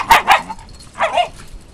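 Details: Shiba Inu from a pair of dogs taken to pick shiitake in a grove on their own property during recall practice; two quick barks in a row open the sequence, then a softer, hoarse bark follows a second later.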